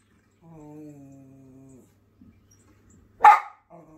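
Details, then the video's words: A Schipperke warning birds off his property gives a steady, nasal, droning growl-whine lasting over a second, then fires off one sharp, explosive bark followed by a brief soft whine. "the Schipperke telling the birds who's boss"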